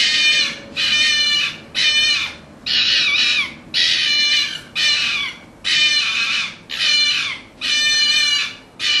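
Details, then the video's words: Orphaned red fox cubs held in a pen before being returned to the wild give harsh, raspy screaming calls in a rapid series of about nine bursts, each lasting under a second, with short gaps between them. "Red Fox Sounds"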